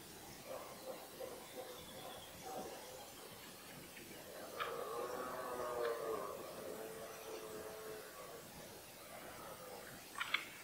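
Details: Rutting red deer in the 2018 bellowing season, with stags of fourteen points confronting each other; a long, moaning harmonic roar swells for about three seconds mid-clip, preceded by softer grunts, with scattered short chirps near the end.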